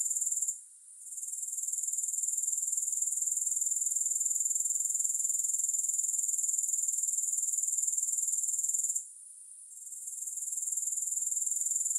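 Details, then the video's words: A dense, high-pitched grasshopper buzz runs on evenly with rapid pulsing, fading briefly near the start and again around nine seconds before resuming; nothing else is heard. "3 Hours of Grass Hopper Sounds"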